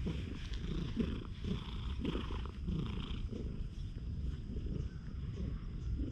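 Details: Friendly one-eyed stray cat, filmed with a GoPro HERO8, purring steadily up close: a dense, low rumbling throb that pulses without break for the whole stretch, with faint rustling above it.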